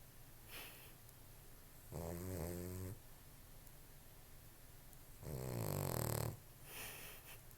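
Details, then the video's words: Sleeping dog snoring loudly indoors: two long, rasping, rattling snores about a second each, spaced roughly three seconds apart, with quieter breathing between. "Loudest snoring ass dog ever"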